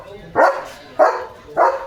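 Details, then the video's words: Leo, a German Shepherd, barks in the afternoon at a flock of sheep passing outside his home. Three loud, deep barks come about every 0.6 seconds, each short and forceful, with quiet background between them. "German Shepherd Barking"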